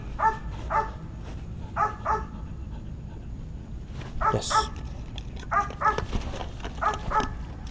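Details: Belgian Malinois in training gives short, harmonic barks in quick pairs and clusters, repeating roughly every second or so, over a low steady background rumble.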